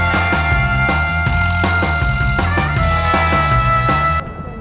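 Loud rock music with drums and guitar fills the clip, with no animal sound.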